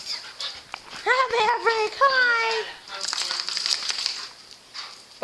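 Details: American Pit Bull Terrier named Maverick, an adoptable male at an SPCA shelter, greeted indoors: a string of high, wavering whines and yelps sliding downward, mixed with a woman's voice and some rustling.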